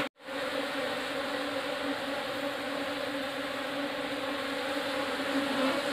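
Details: Asian honey bees (Apis cerana indica), a new swarm arriving in a hive box: a dense, steady, droning hum with low and mid tones, starting suddenly after a brief silence and holding even throughout.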